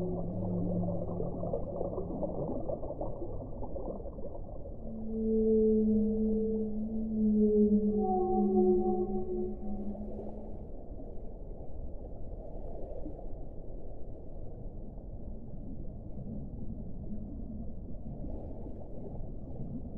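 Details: Whale song: long, smooth, drawn-out moans, several overlapping at low and middle pitch, swelling in the middle of the clip and then fading. A dull, steady underwater rumble sits beneath, and there are no high sounds.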